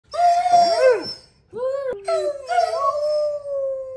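A borzoi gives drawn-out, wavering howls that bend up and down in pitch.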